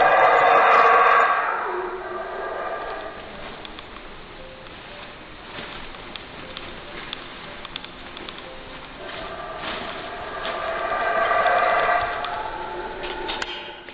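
A monkey gives loud, harsh calls at the start and again near the end, with quieter murmur between.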